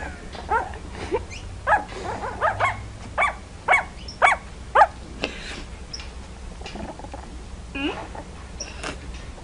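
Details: Puppies yapping indoors, giving a series of short, high, sharp barks in clusters, several close together, then fading to a few sparse, softer yips with background hiss.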